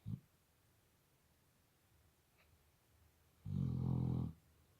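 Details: Labrador Retriever asleep and snoring: the tail of one snore at the start, then a long, loud, grating low snore lasting almost a second after a quiet pause.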